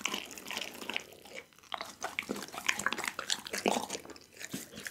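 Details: Doggy, a pit bull, gnawing on a whole raw chicken indoors, Insta360 ONE R: moist smacking chews and a brief lull, then louder cracking bone crunches and sharp snaps.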